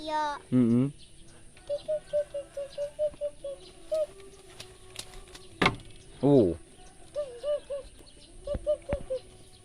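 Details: Feeding sheep with a child: two loud, shaky bleats near the start and middle, surrounded by a steady series of short, soft peeping notes and a couple of sharp clicks.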